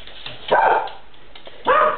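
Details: Diesel, a pet cocker spaniel that loves cats, barks indoors while being urged to find the cat: two loud, short, harsh barks about a second apart, with a person's voice asking where the cat went.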